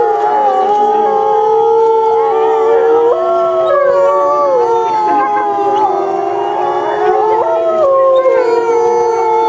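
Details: Timber wolves at Asahiyama Zoo, captive, howling together on 29 May 2014 during the 16:30 park announcement: several long, steady, overlapping tones that slide and step between pitches, forming a layered chorus throughout.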